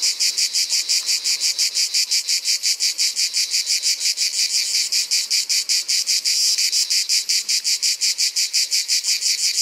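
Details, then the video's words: Summer cymbalisation of the ash cicada from Provence: a grating, high-pitched buzz chopped into quick regular pulses near five per second, sustained at constant loudness. "La Cigale de l'Orne : pour faire durer l'été..."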